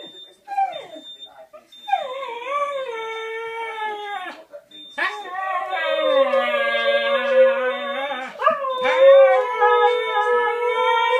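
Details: A Siberian Husky howls in long, wavering, rising and falling tones over the steady high beep of a scooter reversing at home.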